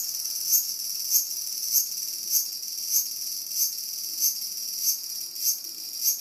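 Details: Cicada confronted by two waiting whippets gives a piercing, high buzzing drone, swelling into a louder pulse roughly every 0.6 seconds, steady and regular throughout.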